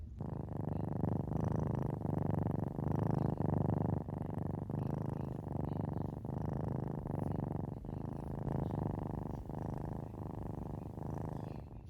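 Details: Kiki, a female cat lounging in a small cardboard box while being massaged and petted, purrs steadily; a low rumbling buzz rises and falls with each breath, roughly one cycle every second, in a quiet indoor setting.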